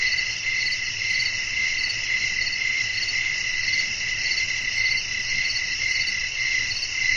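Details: Crickets singing at night amid a soothing natural atmosphere with wind. A nearly unbroken high trill wavers slightly in strength, layered with an even higher continuous insect chorus, with no distinct pauses.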